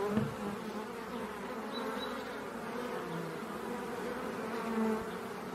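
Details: Honey bees busy at the entrance of an octagonal refuge hive on a sunny but cool March morning, calm and undisturbed; a steady, low, droning hum of many wings fills the clip, with a few louder buzzes as individual bees pass close.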